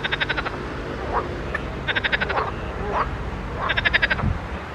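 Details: Frogs in a pond croak in rapid pulsed bursts, each a short rattling series of clicks repeated every second or two.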